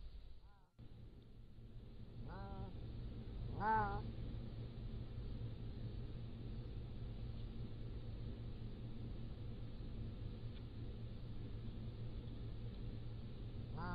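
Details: Pallas's cat kittens, 3 to 7 weeks old, at a wildcat zoo, captured by a motion-activated trail camera: a few short, tonal, wavering mews at irregular spacing, set against a steady low hum and faint background noise.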